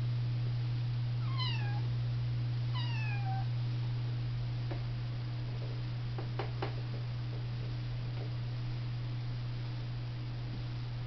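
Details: A female Russian Blue kitten playing on her cat tree with a springy toy on elastic gives two thin, high meows that slide downward, followed by soft knocks.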